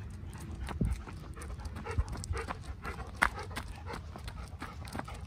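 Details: Panting Golden Retriever, Kohaku or Ibuki, running on a rushed morning walk back toward the office; short rasping breaths mixed with thudding footfalls and a few sharp knocks.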